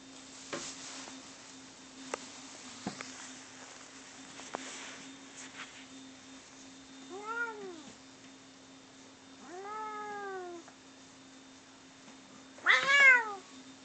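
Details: Cats Bono and Mickey during a fight: scattered thumps and clicks, then two separate arching meows near the seventh and tenth seconds, and a sharp, loud squalling cry at the end, with faint hum beneath.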